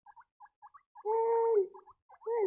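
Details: Squeaking baby guinea pigs: short paired peeps repeated at intervals, broken by a long steady whistled squeal lasting about half a second, then more peeps and another drawn-out squeal at the end.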